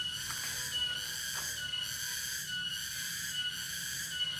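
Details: Cicada (tonggeret) calling at Dago, Subang, West Java, Indonesia: a steady, piercing tonal whine with strong overtones, swelling and easing in regular pulses a little under once a second, with faint low background noise.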